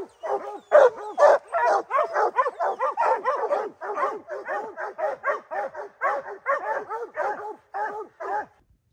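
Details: Rock the puppy, a three-month-old cross of Gray's Rack Em Willy and Blackstone's Ram-Paige, chops steadily at a black bear he has treed for the first time, a clean string of sharp, bending yelps roughly twice per second before stopping.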